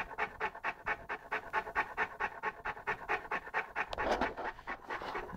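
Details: Saint Bernard puppy Lara, 11 months old, playing with a pygmy rabbit, panting steadily and fast, roughly two breaths per second, with a brief louder rustle partway through.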